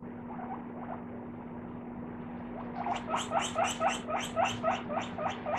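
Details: {'caption': 'Pet guinea pig comes out squeaking while rice is being washed. Faint squeaks at first, then a run of loud, high, rapid squeaks, about four per second, each sharply rising. A steady low hum runs underneath.'}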